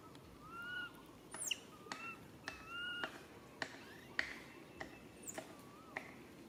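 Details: Young monkey Rain crying out to its mother Rany for help: short tonal whistled coos, level or gently bending, repeated every second or so, interspersed with sharp snapping clicks and a faint steady hiss.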